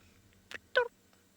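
A common dwarf mongoose gives a brief, tonal peep, a contact call that keeps the foraging family together.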